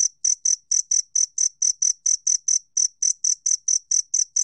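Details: Two-spotted cricket in a 2020 National Institute of Biological Resources recording: a steady string of piercing, bell-like chirps, about four a second, with one slightly longer gap midway and no other noise.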